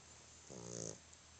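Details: A male dog snoring in his sleep, exhausted: a single half-second rasping, harmonic snore that swells and fades against a constant low background hum.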